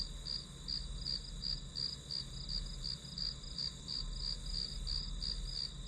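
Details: Grass insects chirping in high, bright pulses at a steady, quick pace of roughly three chirps per second, over a constant high ringing drone and a soft low background hum.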